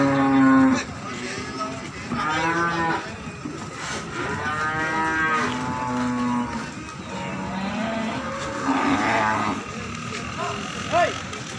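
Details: Several Peranakan Ongole cattle at the Imogiri cattle market in Bantul, Yogyakarta, Indonesia: repeated deep, drawn-out harmonic moos from more than one animal, some overlapping, with constant market crowd noise behind.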